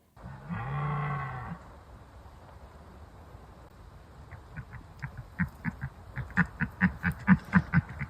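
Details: A red deer stag in an autumn forest in Haute-Loire, France, gives a long, deep roaring bellow during the rut (mating season), then a quickening series of short, harsh grunts.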